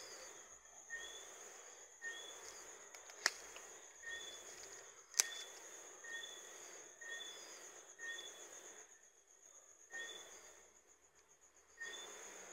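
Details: Johnstone's whistling frog, a small, mainly nocturnal frog, giving short whistled notes repeated every one to two seconds. A steady high insect buzz runs throughout, with a couple of sharp clicks.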